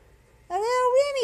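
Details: Remy, a male pet cat, meows indoors while being brushed: one clear drawn-out meow of nearly a second, starting abruptly, holding a steady pitch, then dipping slightly at the end, in a quiet room.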